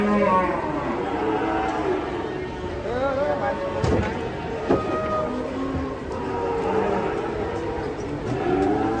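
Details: Agitated sacrificial cattle, frightened while coming down from a truck on a Saturday, bellow in long wavering moos, one after another, with sharp knocks and people's voices in the background.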